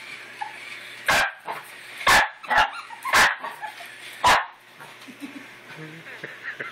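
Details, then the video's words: A pet dog freaking out over a new toy puppy and trying to kill it; several sharp, broadband barks at irregular intervals, roughly one per second, with quieter snuffling and rustling between them indoors. "Dog freaks out over toy puppy!"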